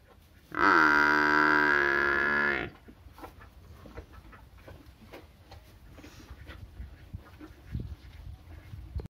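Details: One loud, sustained moo of about two seconds from a village cow, steady and full-toned, followed by quiet background with faint knocks.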